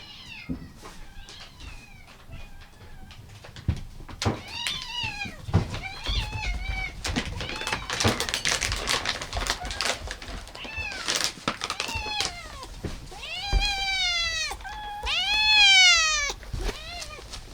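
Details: Several rescued domestic cats, one of fourteen eating together indoors, including a calico; repeated rising-falling meows, some long and drawn out, others short, with chewing and household noise in between.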